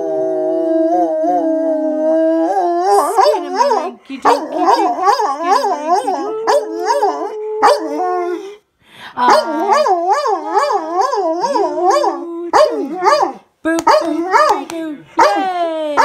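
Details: A Labrador/Great Dane mix dog howls at night along with a person's singing, long wavering tones rising and falling together.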